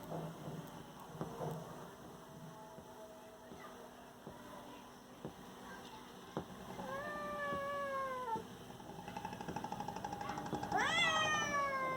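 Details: Kittens fighting indoors, giving drawn-out harmonic meows that slide downward, one long wail near the middle and a sharper rising-falling yowl near the end, over a steady electrical hum and soft background clicks.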